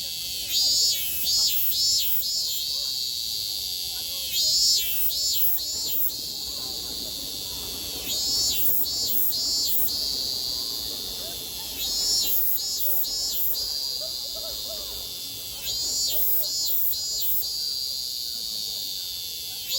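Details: Japanese summer cicadas, 2022: bursts of three to four rapid, rasping pulses recur about every four seconds over a constant high-pitched background whine from more cicadas.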